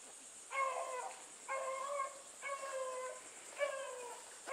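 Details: Bluetick Coonhounds hunting with Sassy, one drawn-out, resonant bawl repeated about every second, four in a row, each a long ringing note, heard at some distance over a steady high-pitched insect whine.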